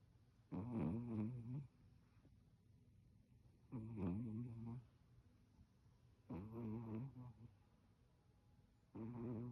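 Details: Chihuahua Jiji snoring loudly on a cold day: four rasping, vibrating snores roughly every three seconds, each about a second long, with near silence between breaths.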